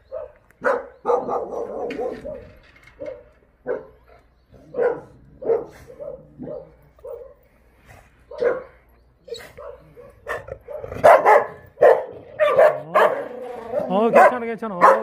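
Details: Jindo dogs in the breeding kennels of the Jindo Dog Theme Park, Jindo County, barking in irregular bursts, sparse single barks at first, then denser overlapping barks and yelps toward the end.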